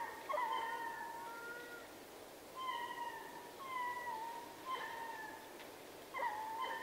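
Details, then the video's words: Chorus of a ring-tailed lemur troop at Berenty, southern Madagascar: long, clear, drawn-out wails, some gently falling, from a few animals spaced across the clip, against a quiet background. "Ring Tailed Lemur / MCU Chorus From A Troop"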